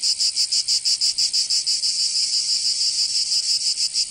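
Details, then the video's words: High, hissing cicada song on a summer day in Provence, southern France; rapid distinct pulses at first, then blending into a steadier continuous buzz. "Canto Cigarra"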